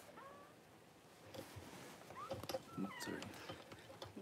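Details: Newborn Cavalier King Charles Spaniel puppies, just whelped by their mother Paris, give thin squeaky whistles that rise and wobble, several short cries in quick succession, with rustling and handling noise indoors.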